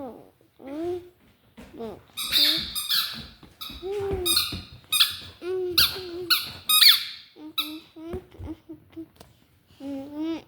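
A Vizsla vocalizes with a run of high, wavering whines broken by short, harsh yelping bursts.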